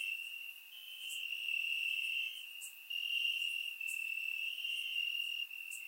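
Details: Crickets chirping in grass on a warm summer night in Bulgaria, captured with a surround microphone: a steady high trilling band with gentle swells in loudness, plus faint higher clicks every second or so.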